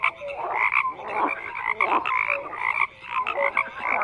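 A chorus of frogs croaking, with overlapping nasal, rattling calls repeated in quick pulses.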